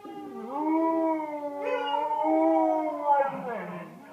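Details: Pet dog Wrigley gives a sustained, steady howl in two connected phrases. A slight break and a lift in tone come midway, then the voice wavers and dips lower toward the end.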